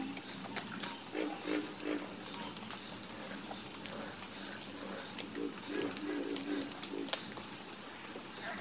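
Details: Frog chorus with low croaks in rhythmic runs of three to five quick pulses, separated by short pauses, over a steady high insect buzz.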